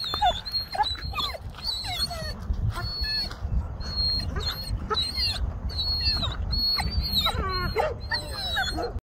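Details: Pit bull excited at the sight of a coyote, giving repeated high, wavering whines and whimpers that slide up and down in quick bursts, with a steady high tone in the background throughout.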